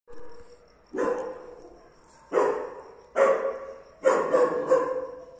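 A German Shepherd barks repeatedly, each bark a broad, husky burst with a strong midrange tone. The barks come irregularly, singly and in quick pairs, over a quiet background.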